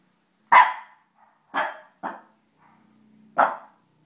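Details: Puppy barking indoors: four sharp, loud single barks at uneven intervals, the last after a longer pause, with a faint low hum between them.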